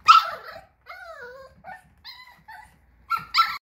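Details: Portuguese Water Dog voicing a string of high, wavering whines and yips, several sliding downward, in short bursts separated by brief silences, finishing with two sharper yelping barks.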